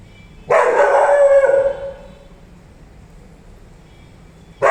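A Rottweiler gives one long, deep, rough bark, then falls quiet before another bark begins.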